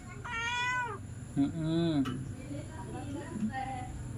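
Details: Domestic cat meowing at night, about 21:35, while a Persian mother cat gives birth; one clear rising-falling meow opens, followed by softer lower mews, with family members talking and a steady hum behind.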